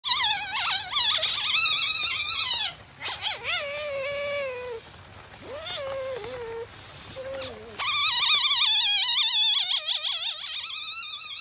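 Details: Captive masked palm civet named Haku-chan at Kusatsu Nettaiken zoo, Kusatsu Onsen, Japan, calling while irritated: loud, high-pitched, warbling, wavering squeals in bursts, fading to lower whining notes midway before shrill wavering cries return.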